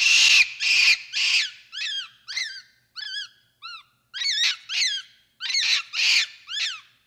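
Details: Capuchin monkey calls: harsh screechy bursts at the start, then a steady series of short arched whistled squeaks, about two per second, some rougher and noisier.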